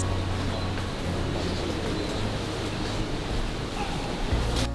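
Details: Steady surf and ocean noise with wind and a low boat hum, with no animal sounds.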